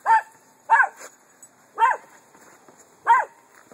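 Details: Miniature Poodle giving four sharp, high yappy barks spaced about a second apart, with a faint steady background hum.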